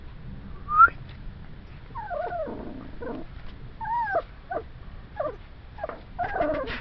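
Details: Playing puppies whimper and yip in a run of high, bending, whiny notes, some rising then falling. Several come in quick succession after an opening squeak, with low rumbling noise underneath.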